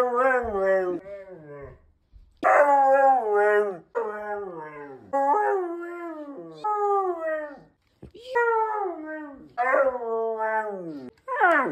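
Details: Siberian Husky indoors yelling at its owner for scaring off its pig friend: a series of loud, wavering, talking howls, each bending up then sliding down, delivered in bursts of one to two seconds with short pauses.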